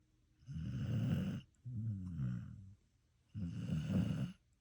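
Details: Sleeping dog snoring: two low, rasping breaths close together, then a pause and a third rough snore, each lasting about a second.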